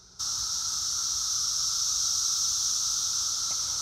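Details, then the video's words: A dense outdoor swarm of Brood X periodical cicadas, emerged after 17 years underground, makes an ear-splittingly loud, unbroken, high-pitched droning hiss. "Cicada swarm sounds so incredibly loud"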